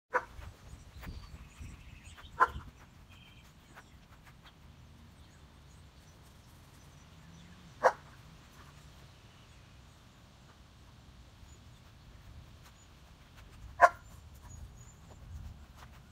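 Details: Odin, a German Shepherd, outdoors in the rain hunting for a squirrel, gives three short, sharp single barks spaced about five to six seconds apart over a steady low wash of rain noise.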